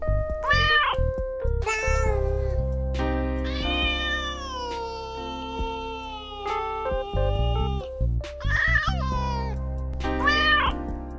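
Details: A cat gives a run of meows: short, bright calls and one long, wavering, slowly falling meow in the middle, all over continuous background music.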